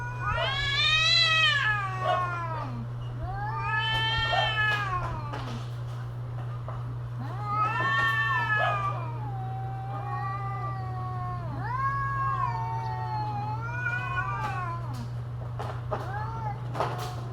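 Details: Caterwauling domestic cats in mating season, loud arching yowls rising then sliding down, repeated in long plaintive phrases roughly every few seconds, over a constant low electrical hum.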